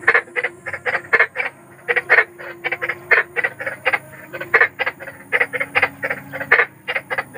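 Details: Large wild frog croaking at night, rapid rasping notes grouped in uneven clusters of two to four, repeated throughout without pause over a low steady background hum.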